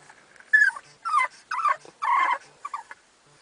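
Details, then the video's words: Dogs left waiting in a van that would not start, upset while waiting for a boost; high whining whimpers in short rising and falling bursts, about five cries over three seconds, quiet between them. "Devastated Dogs"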